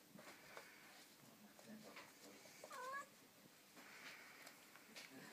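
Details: Ocicat kittens, four weeks old, at play on the floor: a single brief, thin mew that bends upward near the middle, surrounded by soft rustling and light tapping from the tumbling litter.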